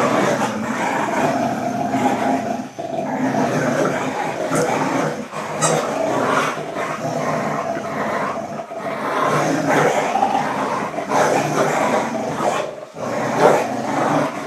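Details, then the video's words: Pit Bull and German Short-haired Pointer playing a friendly tug of war, growling continuously and loudly throughout with a rough, rumbling texture, brief dips between bursts, no other clear sounds. "Pit Bull Vs German Short Haired Pointer - Tug Of War"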